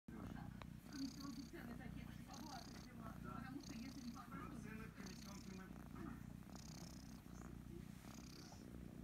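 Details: A kitten named Kryska purring loudly while being stroked and scratched behind the ears; a steady low rumbling texture runs throughout, with soft rustling of petting and occasional higher hissy bursts.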